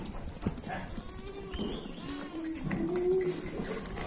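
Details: Jamnapari goat, from a male and female pair, calling with wavering, harmonic bleats that rise near the end, over steady background noise and faint voices.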